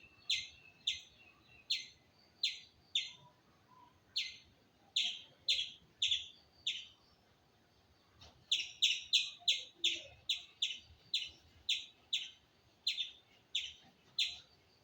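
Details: Squirrel calling with sharp, high chirps in a rhythmic series, roughly two per second, pausing briefly midway before resuming in a quicker, denser run; a quiet background.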